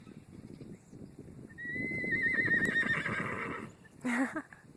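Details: Horse whinnying outdoors: a long high whistled note held for about two seconds, wavering and slowly falling, over low rumbling noise, followed by a short harsh burst; a woman speaks just before.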